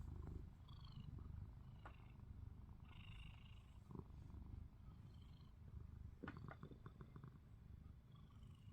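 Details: Snoring from Ruby, a house cat lying with eyes open: a strong low rumbling drone in regular breaths, with a few faint high chirps and a burst of clicking near the end.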